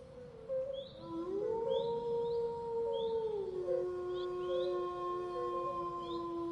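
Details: Wolf howl: a long smooth tone swells upward near the one-second mark, holds level for about two seconds, then slides lower and lingers to the end, with a faint higher overtone; a steady background tone and brief high chirps run throughout.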